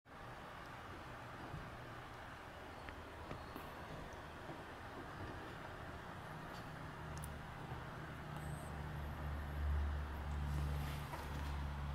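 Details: Quiet low rumble of traffic and engine hum, rising slightly toward the end, with a few faint high ticks.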